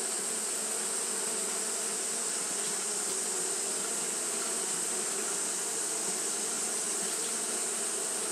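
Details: Japanese honey bees fanning in the heat, an even low humming buzz from many wings, sustained without change, topped by a constant bright hiss; nothing else clearly heard.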